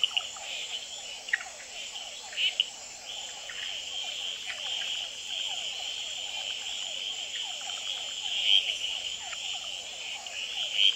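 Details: Red-eyed treefrog males calling and fighting on a pond-side potted plant in Gamboa after dark, hourglass treefrogs and other species in the background; scattered short sharp notes about twice a minute per caller amid a continuous shrill chorus and rapid lower trills.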